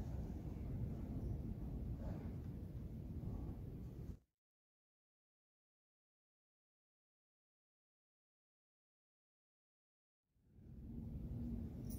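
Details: Low rumbling outdoor noise breaks into about six seconds of silence before the rumble returns, with no animal call.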